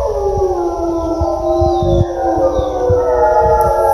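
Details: Wild gray wolves answer human-made calls in a forest in British Columbia, Canada, spring 2020. A chorus of overlapping howls rises in gliding arcs and layers into a dense, wavering harmony over a low, steady rumble.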